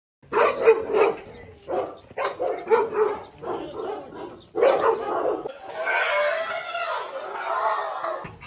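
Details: Rottweiler named Aila, a pregnant female 46 days into pregnancy, fed a special nutrition meal and then facing a provoking rival dog; loud deep barks come in bursts roughly every second, ending in a rougher, noisier stretch.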